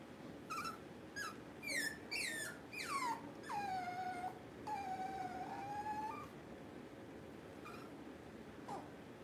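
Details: Puppies indoors during a power outage give a run of high, whining whimpers with rich overtones, several sliding downward and a couple held flat for over a second, then a few shorter squeaks trailing off into a quiet room.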